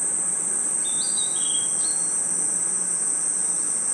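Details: Forest crickets trill at night in a continuous, even, shrill drone. A few thin whistled notes with small pitch steps appear near the start over a steady background hiss.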